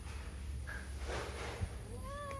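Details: A cat passing beside a house meows to beg for food. A single rising, tonal meow starts late and is cut off at the end, over a steady low background hum with a faint chirp earlier.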